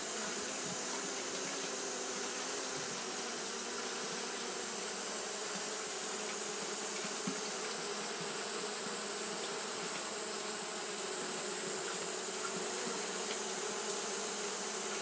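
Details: On a hot day Japanese honey bees keep up their fanning behaviour, producing a long, level buzzing drone with a low steady hum and a broad hiss above it, with no pauses or other voices.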